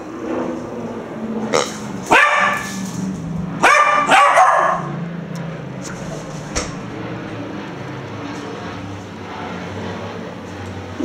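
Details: Female Irish Terrier puppy Murphy, four months old, barking at a pink snorting rubbery toy pig that scares her: a rapid cluster of harsh, rasping barks, then quieter muffled sounds over steady room noise.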